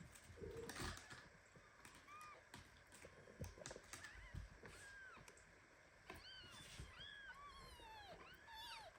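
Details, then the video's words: Tiny premature kitten meows indignantly while held too tightly by its mother cat Ginny indoors. Thin, arched, high-pitched mews, a few early and then about eight quick ones in the last three seconds, over rustling fur and bedding. "Mother cat hugs premature kitten so tightly that he starts meowing."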